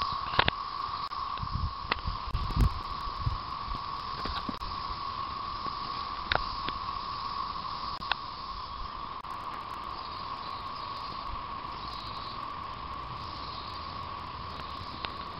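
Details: Periodical cicadas emerging in 2011 after 13 years underground, calling from late April into late May: a steady, unbroken droning hum holds through the whole stretch, with scattered clicks and knocks, low rumbles and a brief spoken remark.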